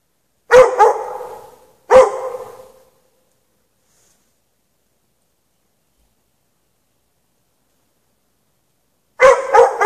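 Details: Dog left chained in the snow at night with no shelter, barking in short doubled bursts separated by a long silent pause of about six seconds before another paired bark.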